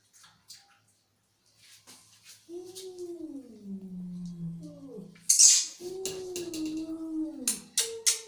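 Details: Angry cat making two drawn-out, downward-sliding yowls, surrounded by scattered clicks, thumps and sharp noisy bursts of rustling or hissing.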